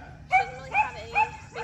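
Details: Three-year-old female German Shepherd, never socialized and struggling to walk on a leash, whining during a training session: three short, rising, tonal whines about 0.4 seconds apart, then a fainter fourth, over low room hum.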